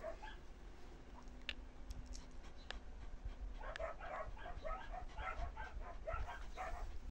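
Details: Playful Samoyed girl puppy: a few scattered sharp clicks, then from midway a lively series of quick, high, yapping barks repeated rapidly until the end.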